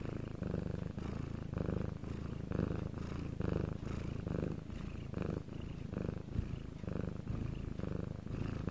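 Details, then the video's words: Bangul the domestic cat purring during a quiet night in Korea: close, steady, low-pitched rumbling in regular breath-linked pulses, around eleven surges, with soft room hiss. "방울씨의 2시간 골골송"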